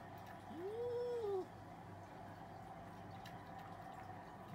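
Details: Cats arguing; a single short arched yowl rising and falling in under a second, followed by quiet with a low background hum.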